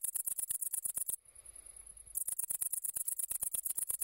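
A great green bush-cricket produces its shrill, high-pitched song, a fast rattle of ticks run together into a sizzling buzz. After about a second it pauses to a thin steady tone, then the rapid pulsing starts again.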